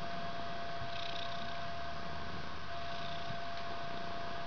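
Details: Indoor bedroom scene of a white three-week-old kitten nuzzling its mother; deep, rapid pulsing purr, unbroken and quiet, beneath a thin constant background hum.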